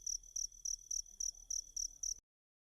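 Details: Cricket call offered as a singing model for a magpie-robin: eight sharp, high, ringing chirps at a regular pace of roughly three per second, then sudden silence.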